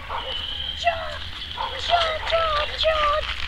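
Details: Eight-week-old Cane Corso puppies during socializing, giving short whining yelps that bend downward, roughly one every half second, over a steady high background hiss.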